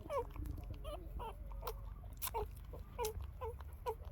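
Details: Newborn female puppies around three days old, seeking milk from their mother; repeated thin falling squeaks and whimpers roughly every half second, with some clicks and knocks and a low background hum.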